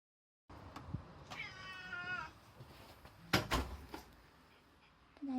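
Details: Domestic cat greeting its owner at the door and meowing to demand treats; one clear drawn-out meow with stacked harmonics, followed by door clatter and thumps and a person's greeting voice.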